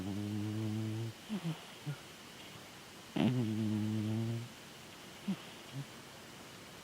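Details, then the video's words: Snoring pet cat Chataro, sleeping: two drawn-out, deep, harmonic snores about two seconds apart. Short soft snuffling puffs come between and after them. "猫のいびき いびきをかいてねるチャ太郎くん"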